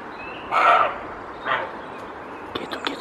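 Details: Wild roe deer buck barking in Spain to defend his territory against an unseen intruder: one loud rasping bark and a weaker one a second later, followed by soft clicking sounds.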